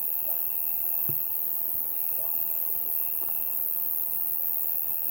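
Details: A summer night insect chorus keeps up a continuous piercing high drone. A mid-pitched trilling tone runs steadily with one brief break, and a few soft ticks and taps are heard.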